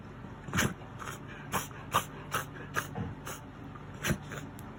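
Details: Miniature Dachshund in a reverse-sneezing attack that lasted about three minutes, thought to stem from gum inflammation spreading to the nose and gone after tooth extraction; harsh snorting bursts, about nine in under five seconds at uneven gaps, indoors.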